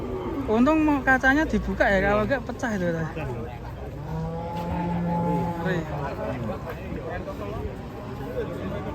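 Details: Large raging cattle that crashed into a passenger car: loud wavering moos and bellows in the first three seconds, then a lower drawn-out tone, with excited shouting people and music around it.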